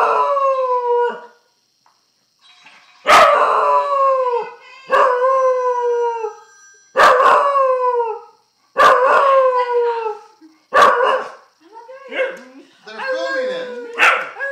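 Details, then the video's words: A grandmother's dog, howling at an iPhone, repeats short falling howls roughly every two seconds, each opening with a sharp click-like onset, becoming broken and wavering toward the end. "Dog howling at iPhone"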